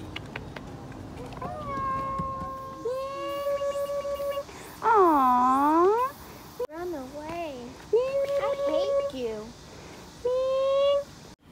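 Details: Stray cats meowing outdoors: one long arched meow rising then falling near the middle, followed by shorter wavering meows, with people talking and background music throughout.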